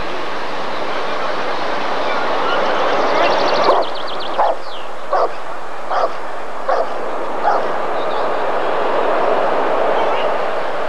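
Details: Rottweiler barking at the 1994 ADRK Körung breed survey: a steady run of short, punchy barks, roughly one every three-quarters of a second, over a constant broad roar of background noise.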